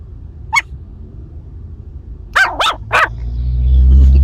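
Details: Female Maltese puppy aged seven weeks barks: one short high yap, a pause, then three sharp yaps in quick succession, followed by a swelling low rumble.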